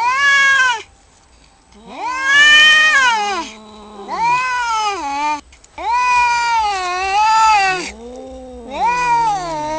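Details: Cats in a fight trade repeated drawn-out yowls, each one rising then dipping in pitch, with lower moaning calls threaded between the louder howls and brief silences separating the bouts.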